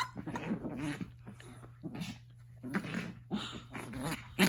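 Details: A Chihuahua, angry and growling at bedtime when his blanket is disturbed indoors; low rumbling growls come in bursts separated by short pauses, with laughter and a person speaking nearby.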